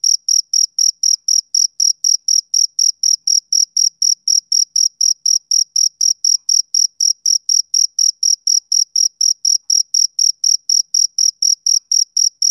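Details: A male cricket gives an unbroken train of clipped, shrill chirps, roughly four each second, evenly spaced and equally loud, with a quiet background.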